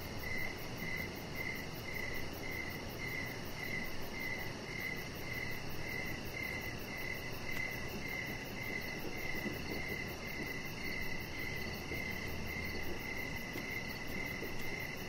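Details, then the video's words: Crickets at evening beside a deck keep up a long, even series of sharp high chirps, steady and unbroken, with softer chirping higher up and a persistent low rumble underneath. "Cricket Sounds"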